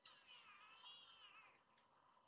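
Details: Rescued baby kittens indoors give a single drawn-out, high, slightly wavering meow lasting about a second and a half, followed by a brief faint click.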